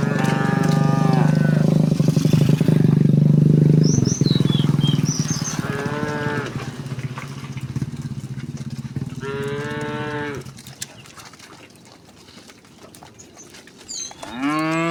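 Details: Herd of cows walking home through village streets on a bright morning; several drawn-out, harmonic moos spaced a few seconds apart, with a heavy low engine-like rumble dominating the first four seconds.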